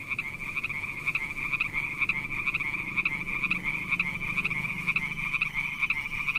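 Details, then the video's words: Frogs near mossy wet rocks with snails around give one unbroken buzzy trill at a steady, fairly high pitch, beating in quick regular pulses, over faint low background rumble. "Funny frog sounds"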